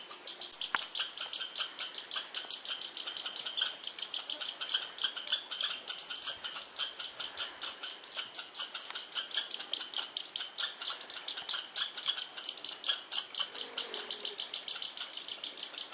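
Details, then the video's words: Squirrel sounds from August 21, 2012: high, clipped chips repeated evenly about twice a second for the whole stretch, with a brief low squeak near the end. "squirrel and bird sounds"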